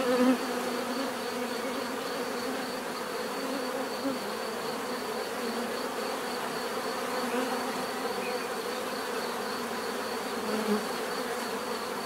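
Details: Long stretch of bee buzzing, a dense even hum with occasional closer fly-bys, notably at the very start and near ten seconds, over a faint constant high tone.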